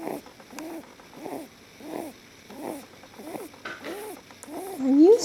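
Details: Pet lop rabbit named Leo snoring while sleeping relaxed in a person's arms: soft, rhythmic breathy snores repeating about every 0.7 seconds, with a person speaking softly near the end.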